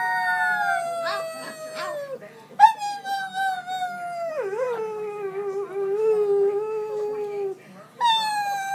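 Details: Pyredoodle puppy learning to howl by copying a girl: long sliding howls starting near high pitch and drifting down, with a lower wavering stretch in the middle, girl's howling voice mixed in at the start and end.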